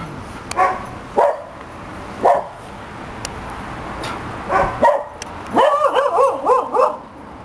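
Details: Young two-year-old Cocker Spaniel gives a funny, old-sounding howl: several short, rising yelps and whines spaced about a second apart, ending in a wavering, warbling howl lasting over a second.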